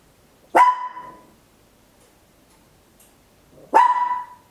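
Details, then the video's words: A tiny Papillon dog barks very loud at home, recorded in stereo on an Olympus LS-11: two sharp, piercing barks about three seconds apart, each with a brief tonal ring, against a quiet background. "Tiny Dog Barking Very Loud, Papillon"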